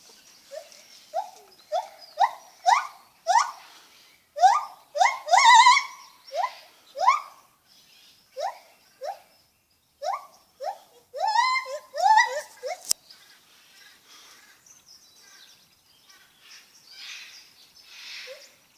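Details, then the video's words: Lar gibbon calling with repeated short upward-sweeping hoots, loud and rhythmic, growing busier and rougher in the middle before trailing off into a quieter, scratchy rustling background. "Lar gibbon making funny noises"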